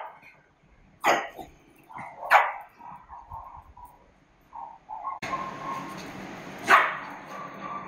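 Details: Excited Lhasa Apso barking during a reunion between puppy Coco and her mother, their first meeting since her birth; three loud, separate barks among quieter yips, with a rush of hissing background noise in the later part.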